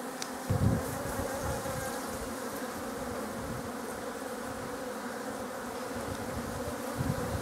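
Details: Buckfast honeybee colony in a poly hive, with queens bred in Scotland; a continuous low droning hum of many bees, steady throughout with a few louder bumps and faint clicks.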